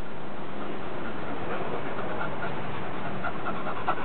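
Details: A pet dog named Cherry pants steadily at home while being asked for high fives, a low breathy rhythmic huffing under a quiet room tone, with a woman's voice praising her as a good girl right after.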